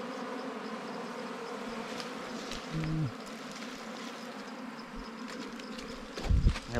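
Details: Constant hum of a wild bee swarm during a honey hunt, low and layered, briefly interrupted by a short spoken sound and ending with a loud knock from handling.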